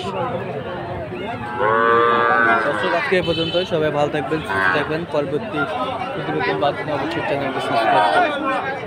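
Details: At the Ambari market in Dinajpur on Monday 20 February, a Sahiwal calf gives one long, harmonic moo about two seconds in, with other lowing calls overlapping busy human talk and market bustle.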